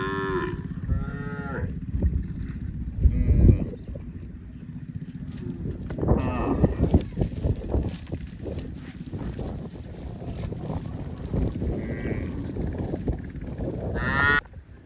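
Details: Cows mooing repeatedly with deep, drawn-out lowing calls as the herd heads to the farm across vast green rice fields.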